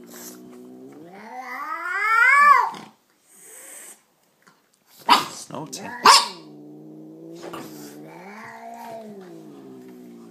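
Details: An angry chocolate-coloured male Persian cat yowls with a rising, wailing cry, spits sharply, then gives a long wavering growl.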